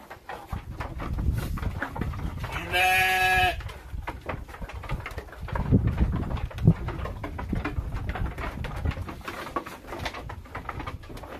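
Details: Texel and Merino sheep kept as farm livestock; one wavering, strongly harmonic bleat of under a second stands out against steady low rumbling and clattering pen noise.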